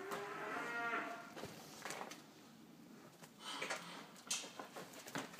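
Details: Salers cattle, cows bred to nurse their calves well, even twins; a single low harmonic moo fills the first second, followed by clattering knocks and background farm noise.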